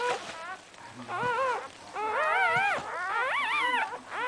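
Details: Newborn Cocker Spaniel puppies, just born, crying in high wavering whimpers that rise and fall, several overlapping calls in long drawn-out bursts with brief pauses between.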